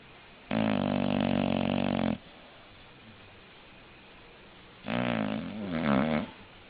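An English bulldog snores in long, rumbling, harmonic-rich breaths separated by quiet pauses.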